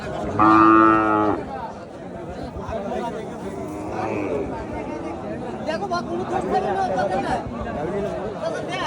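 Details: At a Qurbani cattle market in 2025, a cow gives one short, even moo at the start, followed by a busy background of people talking and general market noise.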